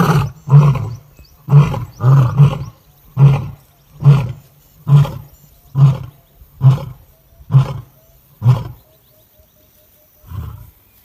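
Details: Lion recorded in Kruger National Park, South Africa, 2024, during a sighting of lionesses fighting to the death over food: a series of short, deep grunts about once a second, ten in a row, fading, then a final softer grunt.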